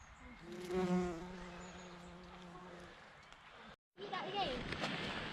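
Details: A bumblebee on bluebells, in their pollen, gives a low, steady, droning buzz for about three seconds during a spring woodland walk among bluebells and wild garlic; then a man speaks over faint outdoor noise.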